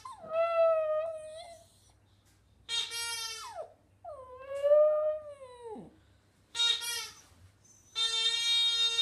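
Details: Pet Border Terrier singing in sustained, wavering howls that drop sharply at their ends. These alternate with bright, strained, high-pitched whining bursts, and a faint low hum runs underneath.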